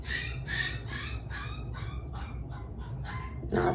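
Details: Winter, a female Poodle puppy, cries at night indoors, vocal habits carried over from her breeder: eight short, harmonic whining cries come roughly twice a second over a low steady room hum, the last one louder and rougher.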